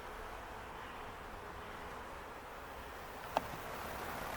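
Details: Mass of honey bees from a swarm caught on an Ontario farm on May 11, 2025, nearly all gone into their new box by morning; a soft, continuous hum, interrupted once by a sharp click near the end.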